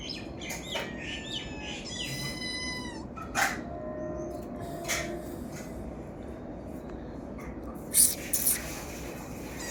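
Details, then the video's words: Cat making a funny sound: a few short harmonic chirps in the first second, then a longer wavering, trilled call around two to three seconds. Scattered sharp clicks and taps follow over a steady background hiss. "cat funny sound"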